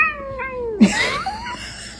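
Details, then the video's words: Pet cat meowing: a long falling call that drops low, followed by a louder rising-then-falling meow, with indoor room sound and faint voices behind. "cats meowing"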